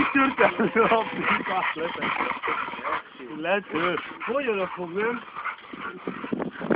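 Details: American Staffordshire Terriers Brunó and Shába during training: a series of short, rising-then-falling whiny yelps with clear harmonics, several in quick succession, over steady human voices.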